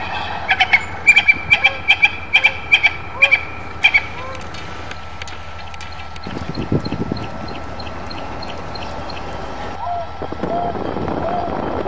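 A lone African wild dog gives quick, high, chirping calls, repeated in a rapid string, to find its pack.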